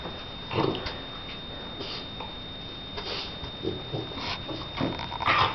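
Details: Shar Pei named Donna playing: short rough growling bursts and huffs come in irregular spurts every second or so, with a faint steady high tone running throughout.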